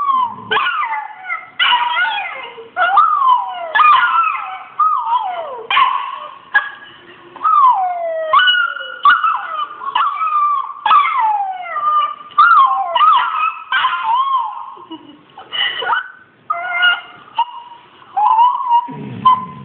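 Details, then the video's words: Responding to a Rottweiler puppy on a screen, the Australian Shepherd Kålle keeps up nearly continuous high yelping whines, sliding up and down, with short gaps and a low grumble at the end. "Kålle reagerar på valp."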